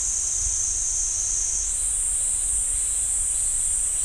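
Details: Cicada chorus in the pine forest of Ssanggyesa temple, Jirisan National Park, South Korea: a continuous piercing high buzz that steps up slightly in pitch partway through, then holds steady, over a low background rumble.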